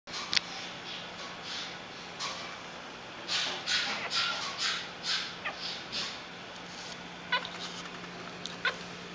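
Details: Newborn Italian Greyhound puppies, born just after New Year's Eve, give thin, high squeaking cries in short clustered bursts, loudest midway, over a steady low hum and faint background hiss.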